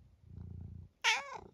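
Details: Senior tabby cat Eric, almost 12, from Great Britain, trying out his many sounds: a soft low purr-like murmur, then one sharp, loud, bright squeaky meow that bends downward and fades, indoors.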